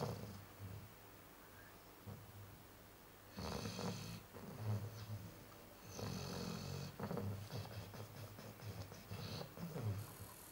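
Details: Snoring Chow Chow in deep sleep: a quiet start, then a run of loud, rough, rattling snores and snorty breaths packed closely together over several seconds.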